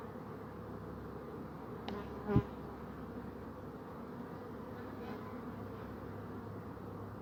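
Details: Bees buzzing over a soft continuous hum, with one bee passing close just after two seconds in a brief, loud, rising buzz, then the even background drone returns.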